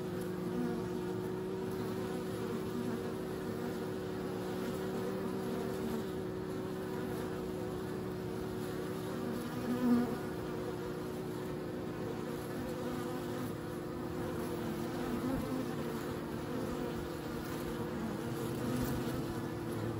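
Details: Bees give a steady, low, droning hum with layered tones that stays even throughout, with no other clear sounds.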